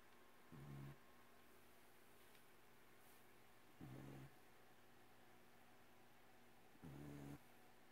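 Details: Abbie, a pet cat, snoring in her sleep indoors: three low, rough snores at a steady pace, about one every three seconds, with near silence between them.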